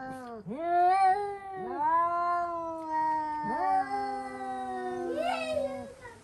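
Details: Pet cats inside a home shrieking at a cat seen outdoors: a series of four drawn-out yowls, each starting with a sharp upward swoop and then holding a level, slowly falling tone, the last one wavering.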